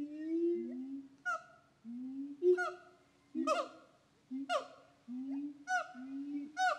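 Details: A siamang (Symphalangus syndactylus), a black gibbon-family ape of Sumatran and Malaysian forests with a throat air sac for resonant calls, gives low, drawn-out hooting notes broken by sharp, honking barks that jump upward.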